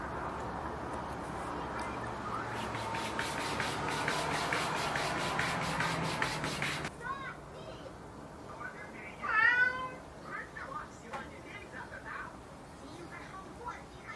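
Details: Domestic cat calling its mother: rapid rhythmic scratching or rubbing for about seven seconds, then a few short mews, a loud rising-and-falling meow near the middle, and softer trailing mews over low background hum.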